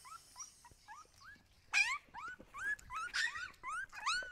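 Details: Siberian Husky puppies whining: short, upswept squeaks repeat at first, then louder, overlapping yelps and whimpers crowd together toward the end.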